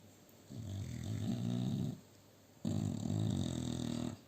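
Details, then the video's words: Male American Bully XL asleep on a shared sofa with two female Staffordshire Bull Terriers indoors; two long, rough, low snores of about one and a half seconds each, separated by a quiet pause. "Occupied sofa, sleep, snoring. ♂American Bully XL"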